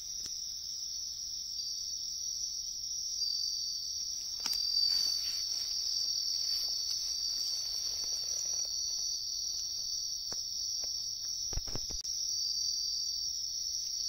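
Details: A wild bell cricket, searched for in riverside woodland, sings a high, steady, ringing trill that carries on without pause, with a few soft rustles.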